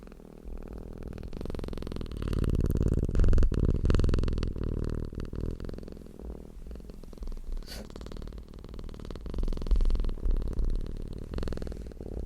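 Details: Close, loud purr from a cat, a deep throbbing hum with rapid pulses, swelling and easing with each breath, plus occasional clicks and handling noise.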